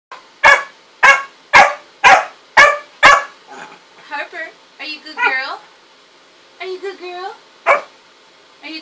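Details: Pet dog indoors giving six loud, sharp barks roughly every half second, then quieter voiced whines and moaning vocal sounds with a person speaking Korean.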